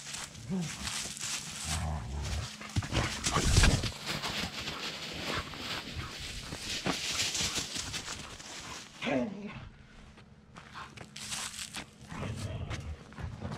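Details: Several dogs roughhousing in freshly raked leaves on an autumn day, giving short rising growls and grumbles around the first second and again near nine seconds, over steady crunching and rustling of dry leaves throughout.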